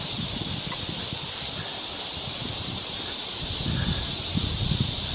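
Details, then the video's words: Cicadas drone in a dense, steady, high-pitched chorus in full summer song on a forest trail in Galsan Park, Yangcheon-gu, Seoul, on 3 August 2023 during a heatwave, with soft low rustling and footsteps underneath. "매미 소리가 아주 한창 울고 있습니다."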